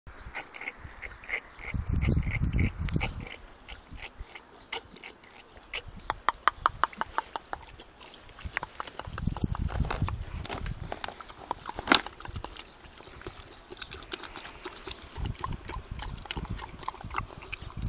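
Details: An 80 kg pig–wild boar hybrid gives low, rough grunts among sharp knocking and rattling sounds.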